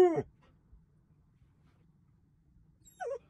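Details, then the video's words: Siberian Husky 'talking': a sharp falling whine opens, followed by near silence with a low hum, then a brief wavering, higher whine near the end. "Talking Husky"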